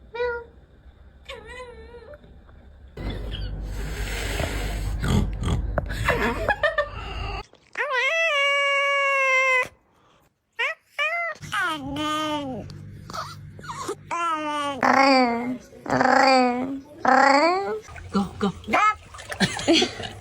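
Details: Domestic cat giving a run of meows that swing up and down in pitch, some drawn out and wavering, others short and rising, cut together with bursts of noise and a moment of near silence, with human voices in a small room.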